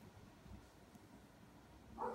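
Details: A Doodle dog out in the snow barks after packs of deer, giving a single loud, harmonic bark after a stretch of quiet background rumble.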